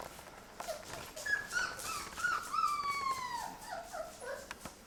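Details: Labrador retriever puppies, Mocha's litter, on day 23 first starting puppy food indoors; a thin whimper slides downward in drawn-out whines, with faint clicks and clatter in the room.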